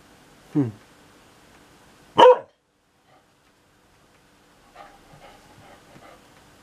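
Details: A brief low grumble, then one sharp bark from Sunny, a pet dog complaining about noisy thunder, followed by a person speaking softly to the dog.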